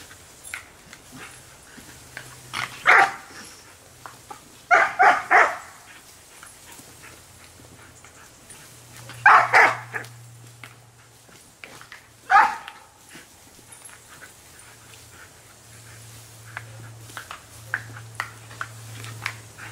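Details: Australian Shepherd playing, chasing water from a hose: bursts of loud, sharp barks in clusters of two or three, spaced a few seconds apart, with softer yips between and a low steady hum throughout.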